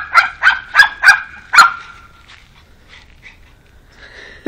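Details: Pug meeting a new dog friend, giving four quick high barks in a row followed by a longer one that trails into a drawn-out whine, then fainter yips.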